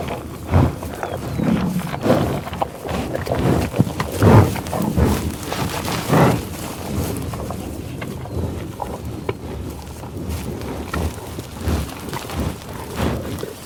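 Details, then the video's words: Low, rumbling grunts and snuffling breaths from bison on the tallgrass prairie at Pawhuska, Oklahoma, USA, loosely repeated, strongest in the first seven seconds, then quieter rustling and occasional soft snorts. "Buffalo Sound Effect"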